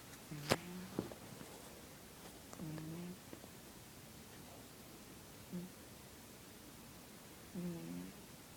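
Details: Midnight, a cat asleep after crawling onto a lap, snoring: low, buzzy, rumbling breaths recur roughly every two and a half seconds, four in all, with a sharp click near the start in a quiet indoor room.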